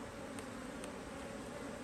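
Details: Honey bees in an Australian-designed HiveIQ beehive, opened in mid-autumn 2023 to add a box of empty frames on a cloudy day. A steady, low droning hum runs throughout with two faint ticks.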